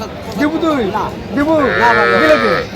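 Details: Calves and cows at the Aftabganj livestock haat, Dinajpur, market day 8 November: several short arched bleating moos in quick succession, then a longer steady call, with people talking in the background.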